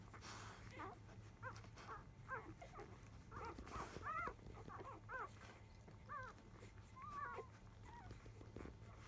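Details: Five-day-old field-type Labrador Retriever puppies of the mother biscuit, fussing noisily as they start nursing just after 1 pm; thin arched squeaks and whimpers scattered through, several overlapping, with a low steady hum beneath.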